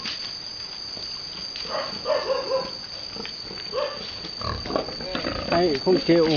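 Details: Boar mating a virgin sow on a Vietnamese farm, giving short rough grunts and squeals that grow louder and more frequent toward the end, with some human speech in the background.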